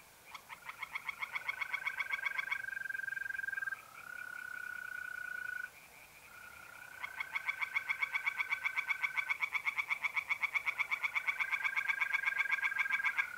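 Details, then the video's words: Tree frogs in a pond on an April night in North-East Italy: long stretches of rapid, pulsing croaks stop briefly and resume, layered over the continuous, slightly wavering trills of mole crickets. "relaxing singing tree frogs in pond and trilling mole crickets by night"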